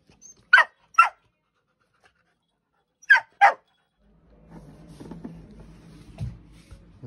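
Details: A playful puppy gives short, breathy, noisy bursts in two pairs about half a second apart, near the start and again after three seconds, followed by a low, muffled rumbling and handling noise.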